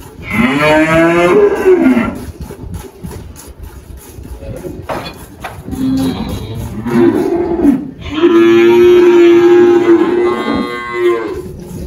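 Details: Girolando cow Malhada, aged 18, on a farm in Anápolis, Goiás, Brazil: a short moo opens, a faint low grunt follows midway, then a longer, louder, steady moo of about three seconds closes the sequence.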